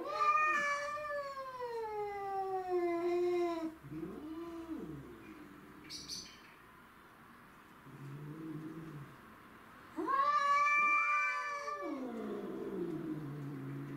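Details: Domestic shorthair cats, two pets and a grey-and-white stray, fighting to defend territory: loud harmonic yowls bending up and down, low growls between them, a brief noisy hiss-like burst, then another loud rising and falling yowl.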